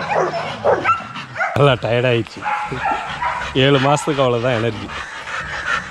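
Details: Young Rottweilers in a kennel exercise yard give loud, rough, harmonic barks, one burst early and a pair of longer wavering barks a couple of seconds later, with human voices and yard noise in the background.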